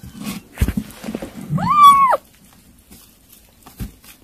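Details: A kitten at its weaning food gives one arched, rising-then-falling meow, with soft clicks and tapping before it and a quiet pause after.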